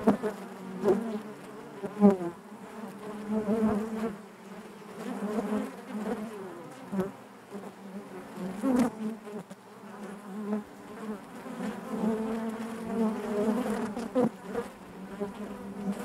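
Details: Continuous buzzing of honey bees in their hive, a deep humming drone overlaid with rising and falling whines of individual bees, repeated swells every few seconds and occasional sharp clicks.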